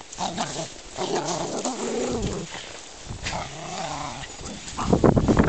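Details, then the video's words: German Spitz Mittelspitz dogs at play, giving low rumbling growls with a harmonic, wavering tone over several seconds, ending in a louder burst of scuffling play noise. "Mittelspitz playing"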